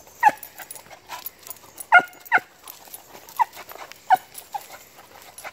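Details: Beagles baying while hunting: short, sharp yelping bays with ringing harmonics, irregular and overlapping, several in quick succession with louder double bays near the two-second mark, quieter yips between.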